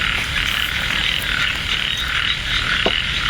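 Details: Frogs in a light drizzle at Ban Na Suang, Det Udom, Ubon Ratchathani, where hunters set hooks. A continuous bright chorus hums on, broken by a few short knocks.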